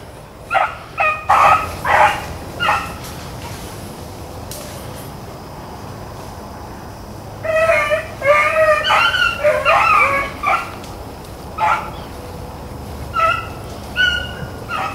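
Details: Hounds on a rabbit chase, Blackcreeks and Blueticks, April 4, 2013; scattered yelps early, a pause, then a dense burst of overlapping ringing bays from the pack, tapering to single cries at the end.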